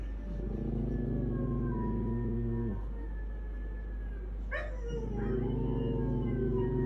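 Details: Pet dogs howling: long, low, droning tones with higher drawn-out notes sliding downward above them, broken by a short sharp cry midway before the low moaning resumes.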